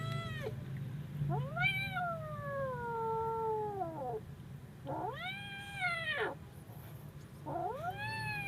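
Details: A kitten in fear cries with loud arching yowls, each rising sharply then sinking slowly, about three long wails with short pauses between them, over a low steady hum.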